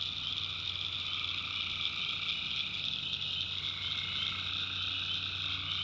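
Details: Tree frogs calling at night in a North Carolina backwoods swamp: a dense, steady high-pitched chorus with a lower, softer trilling layer running underneath. A faint low hum sits in the background throughout.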